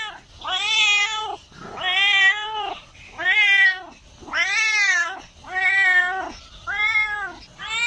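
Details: Cat giving a rapid run of bright, high meows, seven in eight seconds, each rising then falling in an arched shape, loud and insistent, in a quiet indoor setting.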